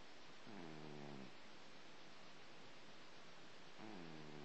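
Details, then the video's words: After eating breakfast, a male house cat snores: two brief, low, raspy breaths around three seconds apart, faint against a hushed indoor background. "Snoring cat"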